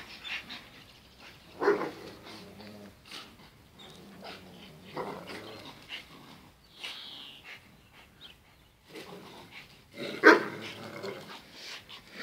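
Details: Zion and Tyson, two dogs locked in their daily fierce fight, trade low rough growls and snarls in irregular bursts, with a louder sharp bark near the end amid scuffling noises.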